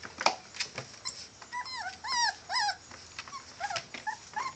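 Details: Male Catahoula bulldog puppies whimpering indoors: a series of short high whining cries, rising then falling, repeated in clusters through the middle and end, with soft clicks and rustling between them.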